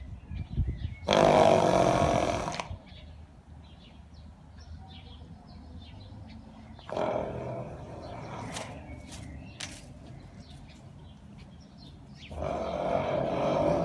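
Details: Arabian horse snorting and neighing: three loud, breathy, noisy blasts, each about one to one and a half seconds long, come near the start, in the middle and at the end, over a low rumbling background.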